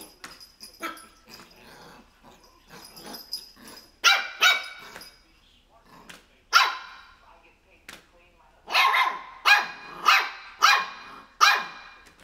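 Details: A 3-month-old Shih Tzu puppy gives sharp, high-pitched barks in quick bursts at a pair of crocs.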